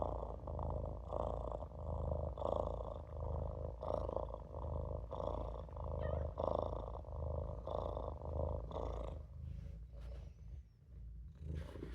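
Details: Maine Coon kitten Olof purring while napping in a sink: a steady low rumbling purr that swells and fades in breathing cycles about every second and a half, with a softer hum above it.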